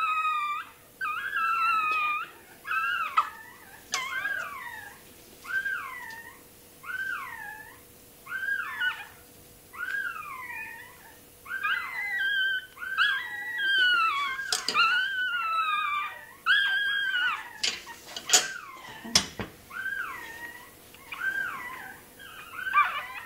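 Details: Toy terrier puppy during tail docking, giving a long series of high, wavering whimpers and yelps, each rising and falling in pitch, repeated roughly every second or two, with a few sharp clicks and handling noises indoors.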